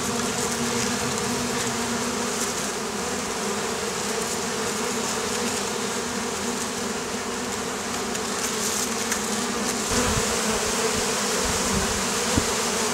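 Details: Oriental hornets (Vespa orientalis) in the Campanian plain, Italy, harassing beekeepers. A steady crowd buzz of many wings, a low droning hum, with a few soft knocks near the end.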